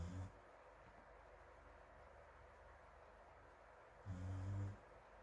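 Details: Sleeping dog Morimori snores on a sofa under an electric fan beside other dozing dogs, Hamanaka, Hokkaido, June 21, heard from a distance: a clipped deep snore at the start, then one rough, low, harmonic snore lasting under a second.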